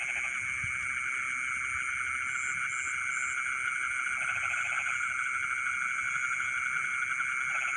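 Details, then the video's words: Night chorus of frogs in rice fields, with two short bursts of pulsed croaking set against a constant shrill hum of insects and a few faint high chirps. "the sound of frogs singing in the rice fields in the middle of the night"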